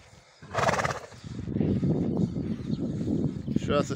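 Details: A stallion used for breeding gives a loud shuddering whinny lasting about half a second while meeting a mare, followed by hoof clops, snorting and Russian speech.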